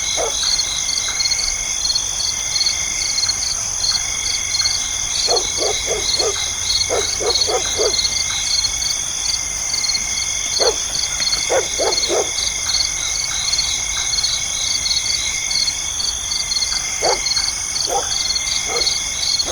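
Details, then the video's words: Nighttime insects keep up a dense, continuous high chirping chorus of pulsed trills and sustained ringing tones. Clusters of short, lower calls repeated in quick groups of three or four, possibly barking dogs, break in several times. "the sound of insects chirping"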